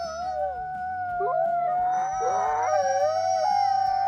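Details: A pack of wild wolves in a brief howling chorus, used for long-distance contact and territory. A held, level howl runs throughout while other voices rise in short swoops and tangle around the middle, with a faint low hum beneath.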